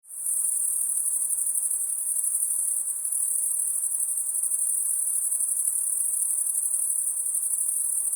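A steady, very high-pitched insect drone rings on without a break through the night.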